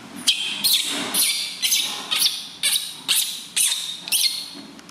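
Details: Loud crying of a newborn baby monkey being bathed softly by its new mother for the first time: shrill, strained squeals repeated roughly twice a second in a steady series, with faint room echo.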